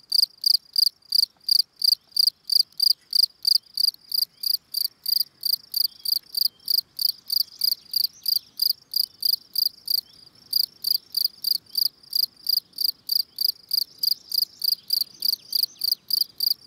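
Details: Gryllus campestris field cricket giving its calling song, a long run of bright, high-pitched chirps at a regular pace of about three per second, with one short gap and faint low background rustle.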